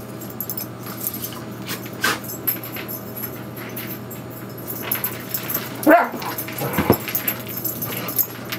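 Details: Two dogs playing together, an 11-year-old Vizsla and Springer Spaniel mix and a 2-year-old Shih-poo, recorded 22 May 2011 on a Canon 7D; two short, sharp yelps late on over a steady hum and scuffling.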